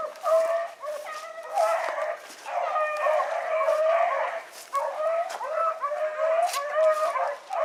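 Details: Rabbit dogs, including a young Oakhill pup, trailing rabbits on a morning hunt at Salt Lake WMA on 2 February 2018. Several hounds bay together in overlapping, drawn-out, wavering howls, nearly unbroken, with short dips between bursts.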